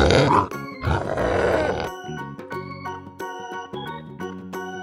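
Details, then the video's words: Pig played for young children learning farm animal sounds: a burst of deep rough grunting in the first two seconds, followed by a cheerful children's music tune. "Evet, bu bir domuz. Domuzun sesini dinleyelim mi?"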